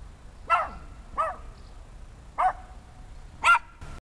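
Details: Repeated bright, sharp barks from a six-month-old Small German Spitz puppy: four yaps about one second apart, each short with a clear ringing tone, in a quiet room.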